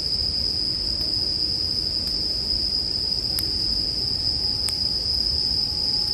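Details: A continuous shrill ringing from bell crickets, unchanging in pitch, with sharp campfire pops at roughly one-second intervals and a low background rumble.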